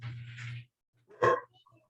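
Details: A 1-year-old female sheepadoodle gives a single sharp, mid-pitched bark at the door, wanting to go outside, after a person speaks.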